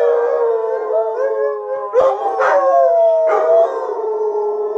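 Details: Group howl from three pet Alaskan Malamutes named Sojou, Fish and Dotty, venting like letting off steam; long level wails layered over one another, broken around the second and third seconds by short sharp yips.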